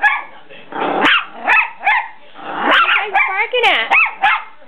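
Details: Dogs on the attack in play, giving short yelping barks and rising whines in bursts, with harsh growly calls between them.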